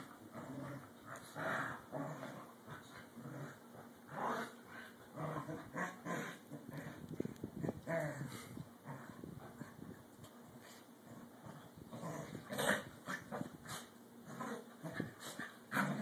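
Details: Two corgis playing indoors and vying for dominance: bursts of low growling and rough scuffling noises, rising and falling in uneven waves across the whole stretch, with brief sharper yips now and then.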